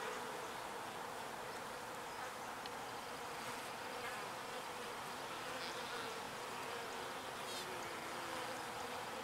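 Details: Foraging honeybees collecting pollen and returning to the hive fill the air with an unbroken droning hum, steady in loudness, with a few faint short ticks and nearer passes standing out above it.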